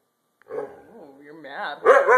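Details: Alaskan husky that loves to talk, heard after bath time, produces a wavering, yodel-like vocalization that rises and falls in pitch, ending in louder rougher outbursts.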